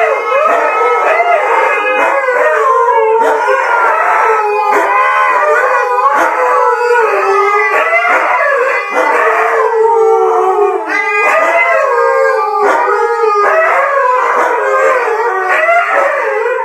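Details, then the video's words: Siberian huskies, one male among three females in heat, keep up a continuous chorus of overlapping wavering howls and yodeling cries, loud and unbroken throughout, with brief yelps mixed in. "Husky Songs-Mating Chant"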